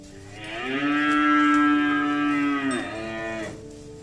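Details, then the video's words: A single sustained moo of about three seconds from cattle walking in mud and calling companions back to the barn. The call is steady and strongly harmonic, then falls away at the end. "Suara sapi lembu Berjalan di lumpur memanggil kawan untuk pulang ke kandang - Bunyi sapi Lembu"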